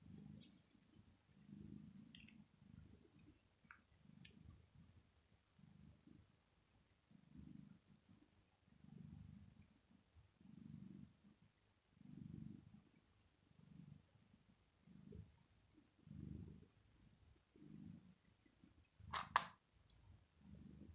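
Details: Male domestic cat purring while resting on a floor carpet on a very hot day, being caressed on the head and seeking more petting; low rumbling purr in soft pulses about once a second, faint clicks, one sharp brief noise near the end.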